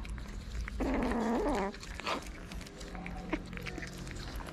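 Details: A stray cat in a Moroccan town, one of many hungry homeless cats being fed, gives one loud, drawn-out harmonic meow that rises at the end, then a faint short call amid low background hum and small clattering sounds.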